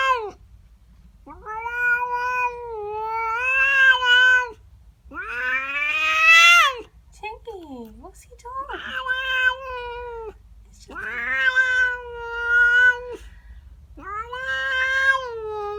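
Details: Displeased female house cat in the morning, yowling at another cat in her garden: a run of long, loud, wailing howls, each one to two seconds, some rising and warbling, one dipping growl-like moan between them.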